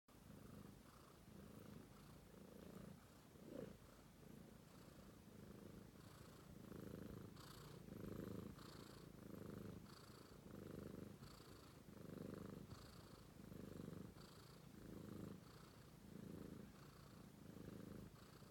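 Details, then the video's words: A sleeping British Shorthair kitten purrs nonstop, a low rumbling throb that swells and fades with each breath. "Romeo, Sweet British Shorthair Cat Purring"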